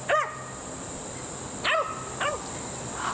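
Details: Border Collie puppy, 14 weeks old, barking indoors in the background while a horse's tail is braided: three sharp yelps at the start, around 1.7 s and 2.2 s, over a steady high electrical whine.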